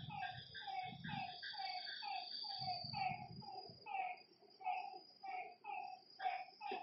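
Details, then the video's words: Several frogs call after dark at a lakeside, each giving short downward-bending notes in quick series, voices overlapping, with brief low rumbles at the start and a faint high insect-like whine above. "Lakeside night creatures and frog sounds"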